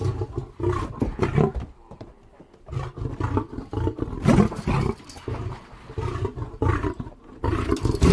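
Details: Deep, rough lion roars and grunts in irregular bursts, heavy and low-pitched, with several louder harsh peaks through the recording.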